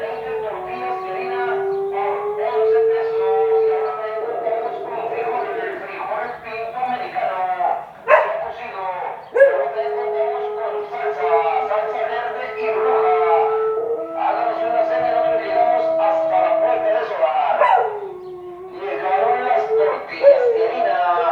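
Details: Siberian Husky howling in pain, bothered by a sound: long sustained tonal howls that hold steady pitches and shift between levels, broken by short yips and barks, with human speech mixed in.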